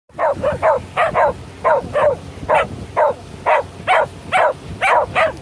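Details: Shetland sheepdogs on their first boat ride of the season, happy and howling for joy: a rapid series of short, bright yelping cries, about two per second, paired and steady, with boat noise underneath.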